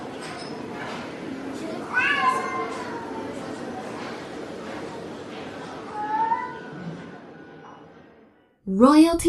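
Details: Domestic cat giving several drawn-out, wavering meows, one near two seconds, a softer one around six seconds and a sharp rising cry at the end, over a low murmur and a voice repeating the words "royalty free".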